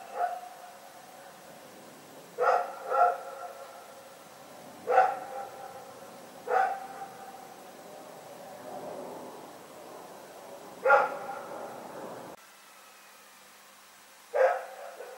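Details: Rex, a dog, barking in the night, recorded February 27, 2018: single and paired harmonic barks spaced irregularly a few seconds apart, with quiet gaps between.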